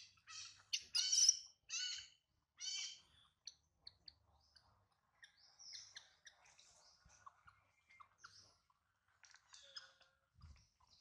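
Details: Baby monkey held by a small monkey, crying because it misses its mother and is hungry: a burst of shrill, harmonic squeals in the first three seconds, then scattered faint high chirps and clicks.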